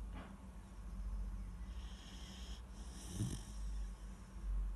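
A sleeping Weimaraner puppy snores with low, rumbling breaths.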